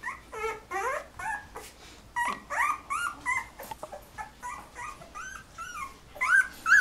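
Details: Golden Retriever puppies, 13 days old, from a litter of 11 whose eyes are just opening, indoors; a chorus of high, rising and falling whimpers and squeaks overlapping in quick bursts.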